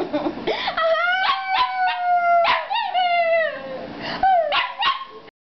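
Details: Pet Shih Tzu duetting with a singing person, giving wavering howls that rise then drift down, broken by short yips and breathy gasps, ending in a final bending note.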